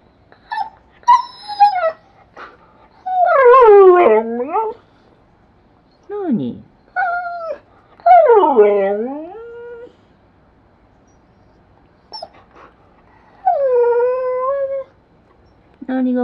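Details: A blue-eyed Siberian Husky kept as a pet vocalizes as if talking, trying hard to make its demands understood: drawn-out whining howls that rise and then sweep down, in short bursts separated by quiet pauses, with a few brief yips.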